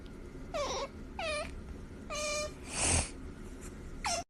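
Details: Otter vocalising while being pampered, giving four short harmonic squeaks that dip and fall in pitch, each about a quarter second long and spaced roughly a second apart, with a brief breathy rustle between them.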